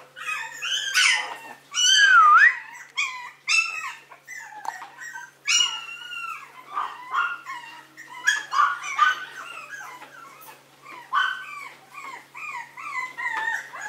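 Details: Maltese dog whining loudly in long, bending, high-pitched cries mixed with short yips, delivered in irregular bursts with brief pauses, in a quiet room with a faint low hum.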